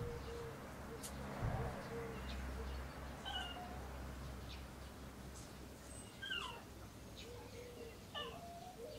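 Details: Cairn Terrier puppies born 25 April 2012, recorded 12 June 2012: a scatter of soft, thin whines that bend up and down, some in short drooping runs, over a low steady background rumble.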